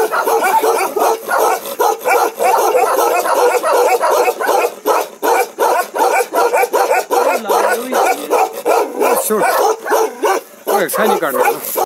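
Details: A Bakarwal dog, an ancient livestock guardian breed of Jammu and Kashmir, gives a Ladakhi "one-breath bark": a rapid, unbroken string of deep, rough woofs.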